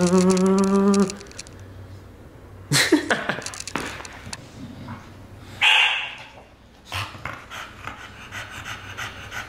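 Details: Pet dog Aubi during a game of tug of war indoors: a tonal, harmonic whine lasting about a second, then scattered thumps and rustles, a short sharp burst midway, and a person's voice nearby.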